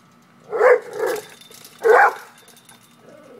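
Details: Pet pit bull acting up at a cat, giving two hoarse, fairly deep barks about a second and a half apart, each with a short trailing yelp.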